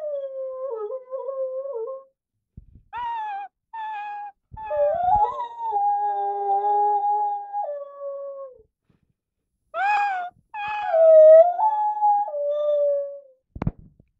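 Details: A 12-month-old Rottweiler, recorded one morning, howls in long, wavering tones that rise and fall like singing.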